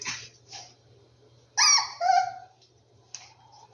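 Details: Rescued dogs gathered at their hideout; two drawn-out, tonal whines with stacked harmonics sound back to back, the second bending downward, followed by a brief soft squeak, over a low indoor hum.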